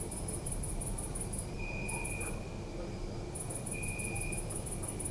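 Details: Night crickets in a city park: very high rapid pulsed chirping in bursts separated by short gaps, plus a thin sustained lower tone twice, against a constant low-frequency urban hum.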